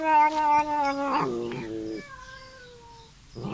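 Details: Bengal kitten, loud and visiting, calling while eating: a long sustained wailing meow that steps down in pitch midway, then trails off, with a fresh cry starting at the end.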